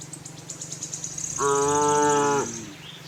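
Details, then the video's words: Cattle herd on a farm looking for grass: a single flat, even moo of about one second, with a steady high insect-like hiss and faint background hum. "cute tame herd of cows - looking for grass, cow mooing sound"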